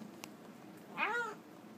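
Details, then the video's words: Domestic cat talking over its food: a single short meow that rises and then bends down, clear tonal voice, with a soft tap beforehand and a quiet indoor hum. "Talking Cat nom nom"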